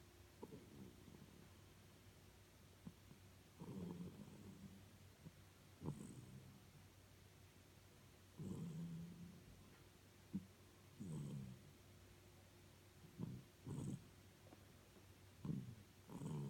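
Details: Hokkaido-born Norfolk terrier asleep and snoring: soft, low, rumbling breaths swell roughly every two to three seconds, some with a faint nasal whistle, in a quiet room with a steady low hum.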